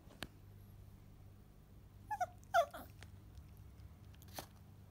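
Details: A Toy Poodle indoors, fixated on ice cream, gives a few brief, high whimpers around the midpoint: two short squeaks, then a slightly louder pair, among faint clicks and a low steady hum.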